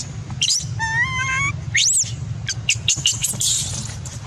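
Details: Angry baby macaque refused milk by its mother: a wavering, whistled coo held about a second, then a sharp arched shriek and a flurry of short, high, scratchy screams, with a continuous low rumble underneath.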